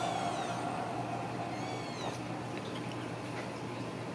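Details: Ragdoll kittens raised cage-free indoors at a home cattery in central Kansas, giving thin, high, rising-then-falling meows, two or three short cries in quick succession, over a steady low electrical hum in a small room.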